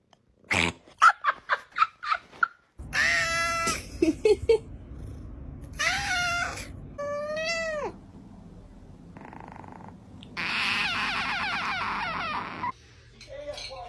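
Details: Cats in a funny compilation: rapid clipped chirps first, then several drawn-out wavering meows and one high, strained caterwaul. The sounds come in edited segments with abrupt cuts and a low background hum.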